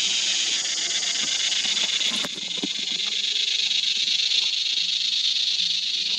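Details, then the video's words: Red cicada, described as the biggest and loudest bush singer in Australia, with a sound likened to a rattlesnake's rattle: an unbroken, intense high buzzing drone holding steady throughout, with faint low knocks beneath. "Cicada: The Biggest and the Loudest Bush Singer in Australia"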